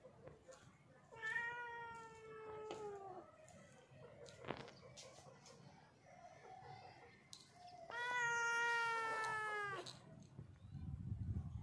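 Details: Black domestic cat giving two long, drawn-out meows several seconds apart, each steady then falling slightly at the end, over a noisy indoor background with scattered clicks and rustling.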